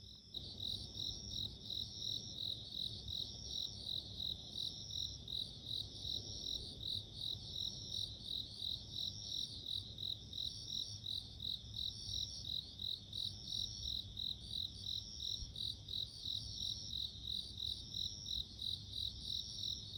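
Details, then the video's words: Bell cricket chirping: loud, bell-like high pulses repeated rapidly and evenly, about three per second, over a continuous ringing trill from other crickets in the background; low hum beneath. "【Sounds of insects】自然の音【鈴虫】"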